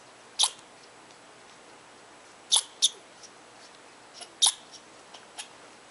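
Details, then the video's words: Squirrel in Tahosa Valley scolding a person who came too close to its tree, very vocal in disapproval; sharp high chips and chatters in short bursts, a few loud ones spaced about two seconds apart with fainter notes between, quiet background. "Angry Squirrel of Tahosa Valley"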